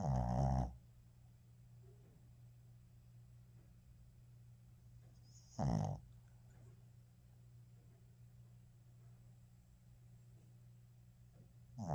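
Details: Shih Tzu named Minky snoring while asleep after playing hard; three short, loud, rasping snores arrive about every six seconds, separated by quiet stretches over a steady low indoor hum.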